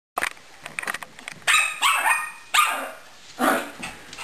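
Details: Dog named Gracie playing with a hamster named Caramel, giving a few short yips and barks, with about four louder harmonic bursts spaced roughly a second apart after scattered quieter clicks.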